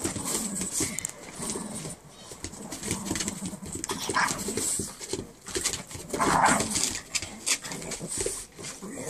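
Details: Two Boston Terriers trade rough growls, snorts and yips while play fighting over patio furniture.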